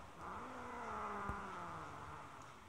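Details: A house cat, kept outside because she wants to bring in prey stolen from another cat, gives a sustained low growl. The even, humming tone rises slightly at first and then holds, with a brief click midway and a constant airy hiss behind it.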